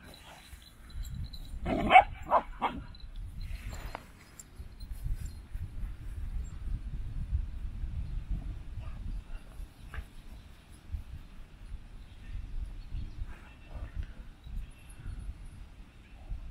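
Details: Standard Poodles, one of a household's several dogs, in Sun Valley, Idaho: a quick cluster of three or four sharp barks early on, then only a low, steady outdoor rumble with faint scattered ticks.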